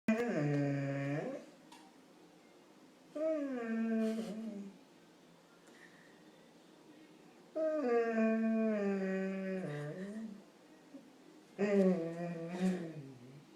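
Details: A Labrador Retriever denied pancakes expresses his misery with drawn-out, warbling Wookie-like groans in four long, rising-and-falling bouts of begging.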